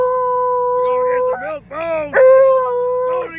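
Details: A Treeing Walker Coonhound, a loud dog, howls in long, steady, mournful tones broken by a brief wavering yodel while being taken to the vet.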